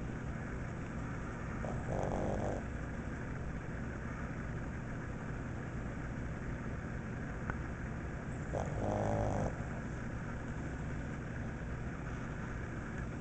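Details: Sleepy pug Franklin, waiting for his dinner, snores twice about seven seconds apart. Each snore is a short, rasping, throaty burst, heard over a constant low droning background hum.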